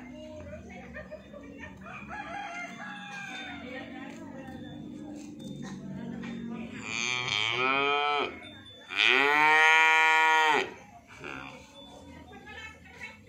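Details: Calf leaving its pen: low, wavering harmonic calls early on, then two drawn-out moos, the first near seven seconds and a louder, longer one of about a second and a half near nine seconds, with background noise throughout.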